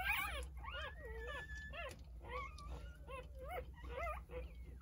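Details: Nine-pup Jindo litter at three days old with mother Sarang. Several puppies squeal in rapid arched whimpers, some drawn into short level whines, crowding one another through the whole stretch above a low steady hum.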